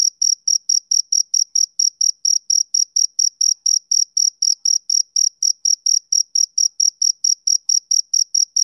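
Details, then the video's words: A male cricket chirps on a summer evening, short shrill pulses repeated about four times per second in a smooth, regular beat, with nothing else audible. "Cricket Chirping Sound Effect"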